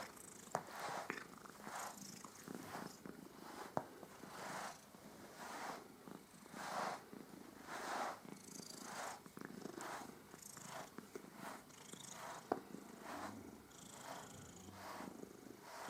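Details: Domestic cat purring contentedly while being groomed, a soft breathy rasping pulse that swells and fades about once every second, steady throughout with a few light clicks.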